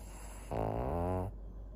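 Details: Senior fawn pug Maria, a fourteen-year-old female in Japan, recorded 22 September 2024: one short, buzzy, rattling snore lasting under a second, set against low background hum.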